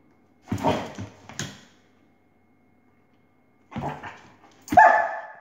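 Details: Dog barking at a laser indoors: four loud, harsh barks in two pairs, the first pair near the start and the second after a pause of about two seconds, the last bark ringing and tonal.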